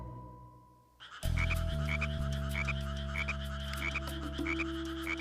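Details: Frogs calling together as a group at an outdoor site: after a brief steady beep, short bright croaks repeat about every half second over a dense, continuous low droning chorus.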